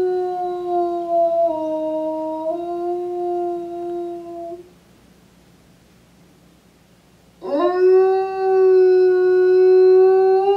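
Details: Five-year-old male eastern timber wolf howling at a Japanese zoo in Tokushima on an afternoon in January 2017: a level, slightly dipping howl of about four seconds, a pause, then a second howl that swoops up sharply and holds.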